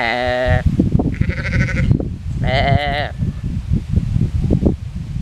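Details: Sheep by a ditch in a shaded Alblasserwaard pasture, Netherlands, answering a visitor's talk: three tremulous, harmonic-rich bleats in quick succession, the middle one higher and thinner, with strong wind buffeting throughout.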